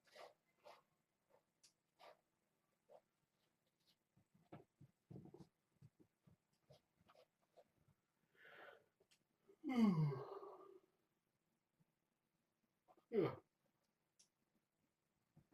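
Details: A male domestic cat gives drawn-out, wavering meows in the living room at bedtime, announcing that he is carrying a Kong kicker toy in his mouth.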